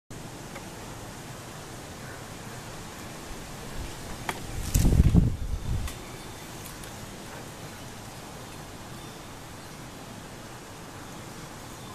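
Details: Steady outdoor hiss with a brief rustling thump and low rumble near the middle, with no animal voice heard.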